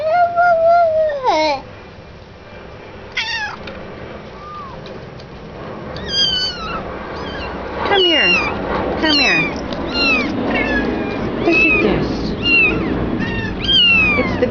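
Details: Mother cat with her litter of kittens in a child's crib indoors. A long falling meow opens, then a dense run of thin, high, rapid mews overlapping each other. A woman speaks in the background.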